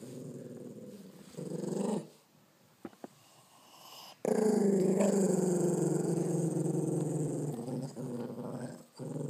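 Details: Indoors, a one-eyed Chihuahua-pug cross guards his first bone with a low growl: rumbling for the first two seconds, a quiet spell with small clicks, then a loud sustained growl from about 4 seconds, rising in pitch at times.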